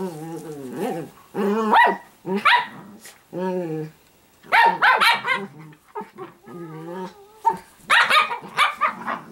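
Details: Italian greyhound puppy Sparkle at home, playful growls rising and falling in short harmonic phrases, interrupted by clusters of quick high barks about every few seconds.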